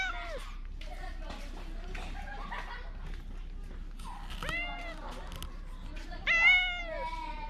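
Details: In Bise's Fukugi tree avenue, Okinawa, Japan, a stray cat calls out loudly as though pleading; human voices talk through most of the stretch before two strong, bending meows break in near the end.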